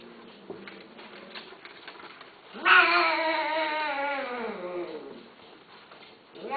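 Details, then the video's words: Persian (Shirazi) or Himalayan cats, a male and female pair indoors during mating, one long loud yowl rising abruptly then sliding slowly downward for about two seconds, richly harmonic, with faint room noise and soft tapping before and after. "شيرازي همالاي تزاوج قطط انثى ذكر"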